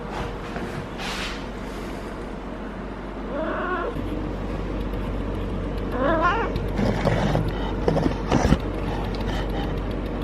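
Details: Feral cat Harley in heat, rolling and caterwauling during long petting: two short wavering, warbling yowls a few seconds apart, mixed with rustling, thumping handling noises and a low background hum.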